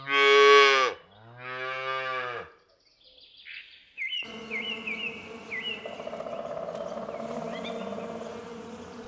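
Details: Calf, a young cow, lowing twice in quick succession, a loud rich harmonic moo followed by a shorter, quieter one. Then comes a gap, and then chirpy electronic tones and music take over.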